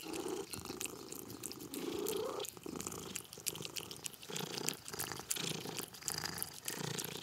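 A domestic cat purrs continuously, the low rumble swelling and fading with each breath in and out. Faint clicks and chewing sounds are scattered through the purring.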